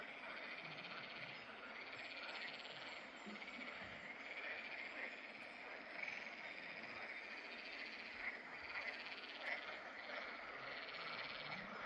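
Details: Water frogs (Pelophylax) calling at fishponds in the Drava valley on 11 May 2024: a continuous, dense chorus of rattling, croaking calls that stays steady throughout, with a few brief louder notes standing out.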